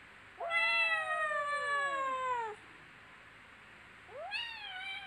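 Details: Young kittens at play: a bright meow sweeps upward then slides slowly down for about two seconds, followed after a pause by another rising meow.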